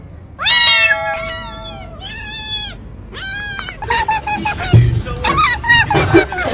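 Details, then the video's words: Domestic cat giving four drawn-out, arching meows in quick succession over the first four seconds, each rich and tonal with a rise then fall, followed by a busier stretch of layered music-like sound with further faint cries. "Hilarious Cat Sounds"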